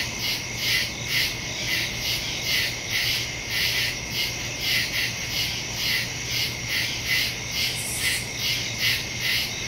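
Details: Crickets in the woods at night, recorded September 2, 2023 on a Samsung Galaxy S22 Ultra phone with a Shure MV88+ stereo microphone; a dense, high chirping chorus pulses steadily about two to three times per second, with a faint low hum beneath.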